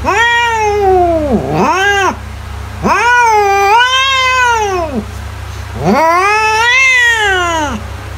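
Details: Domestic cat meowing, offered as a sound to scare mice away: three long, drawn-out wailing meows, each rising then falling, with a short dip between the first two, over a steady low hum.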